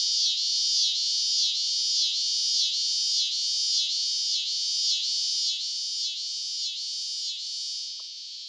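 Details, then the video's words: A recording of a scissor-grinder cicada's song, a loud buzz pulsing up and down in steady rapid waves. Male cicadas make this sound. "all right and again it's just like with our frogs it is the male cicadas that make this sound"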